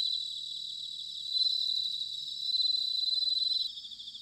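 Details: Autumn bell cricket song from Sanuki in Chiba, Japan: bright, high ringing trills that swell in two loud bursts, the second finely pulsed, then cut off near the end, over a soft ringing chorus of other crickets.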